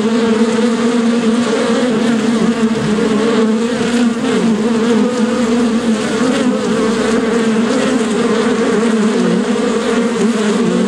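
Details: Bee buzzing steadily and continuously, a dense droning hum with a strong low tone and harmonic overtone, slight wavering in pitch throughout, no other sounds heard.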